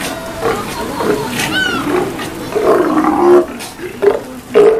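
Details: Steller sea lions at feeding time at Kamogawa Sea World, 2 January 2017, give deep, throaty roars and growls in short bursts, with a brief whistled sweep between them.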